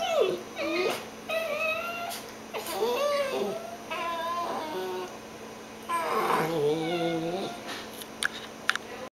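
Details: Dachshund and cockapoo indoors in bed, tired and playfully tussling before a morning nap; a run of varied whimpers and grumbling moans that rise, fall and wobble in pitch, broken by short soft rustles and pauses.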